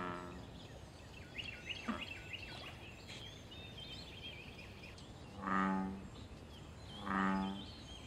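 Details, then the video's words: American bullfrog in a wild pond, calling during mating and territorial contests: a trailing croak at the start, then two deep, droning harmonic croaks about one and a half seconds apart, with bird chirps and small clicks between. "Bull frog call loud sounds and fight"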